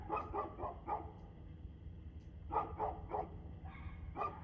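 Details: Dog barking at 6:02 pm on 2/6/2024: short sharp barks in two quick bursts of about four, separated by a brief pause, over a steady low rumble of background noise.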